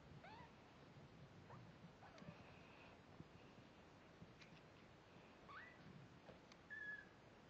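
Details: Mother cat Layla, a snowshoe Siamese, with kittens one week old; short high mews rise and bend at the start, again near the middle and end, mixed with faint squeaks and light shuffling noise.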